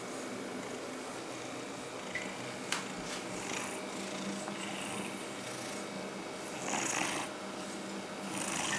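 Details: Domestic cat Bonzo purrs while being groomed with a comb in a small room, giving a continuous, even rumbling drone, punctuated by a sharp click near the middle and brief swishing comb strokes toward the end.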